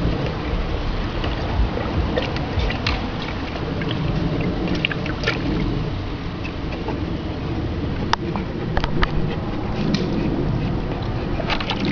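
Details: Steady splashing and rumbling water noise with low, broad sloshing, a few sharp clicks and faint distant voices; no animal sound is heard.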